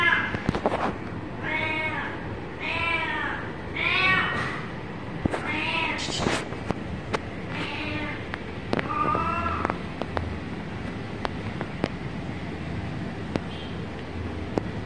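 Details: Kitten meowing in a quick run of arched, harmonic calls during the first ten seconds, followed by sharp taps and clicks and a low background rumble with no further calls.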